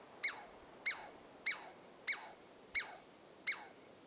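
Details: A Douglas squirrel (Tamiasciurus douglasii) at Carpenter Saddle, Carpenter Mountain, H.J. Andrews Experimental Forest, Oregon, gives sharp, high alarm chirps, each dropping in pitch, repeated about every half second.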